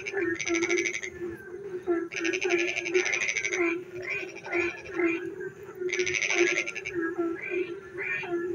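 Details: Frogs sing at night in the rain: a low repeated croak pulses steadily beneath loud, grating trill bursts that come every couple of seconds, mixed with lighter chirping croaks from more callers.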